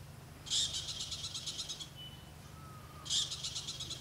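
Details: Noisy squirrel calling in alarm in Africa's Okavango Delta: a loud, harsh burst breaks into a quick series of dry, high chattering pulses lasting about a second, then a second burst begins over a faint low background hum.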